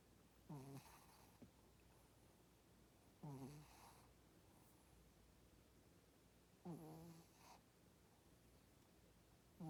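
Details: Snoring of a female Shih Tzu, low rattling breaths recurring roughly every three seconds, each opening with a quick raspy flutter and fading into a soft nasal drone; otherwise a quiet room.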